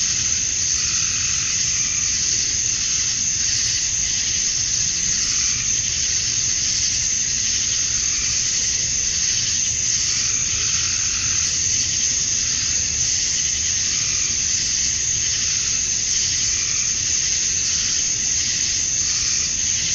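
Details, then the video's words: Cicadas at summer dusk in Georgia, USA, males calling for females, sustain an even, intense electric buzz for the whole stretch, gently swelling and fading in waves every few seconds, over a quiet low rumble. "Cicadas at Dusk, Summer Night"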